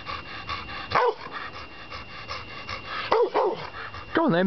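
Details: Ben, a black Labrador Retriever rescued after being found on the South Wales M4 in 2001, settling into a new home: three short, arching barks about a second apart while a man keeps urging him to fetch and bring it along.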